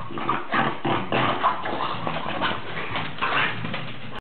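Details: Otto, a pet dog, growling while wildly playing with his favourite ball: rough, noisy rumbling in rapid, uneven bursts, roughly three per second, with a low throaty buzz throughout and no other sounds clearly heard.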